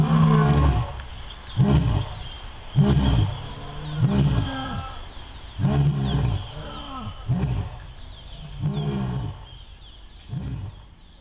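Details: Captive lions roaring at the Sierra Safari Zoo, the pair giving a run of low, hoarse grunts spaced roughly a second apart that gradually weaken and trail off toward the end.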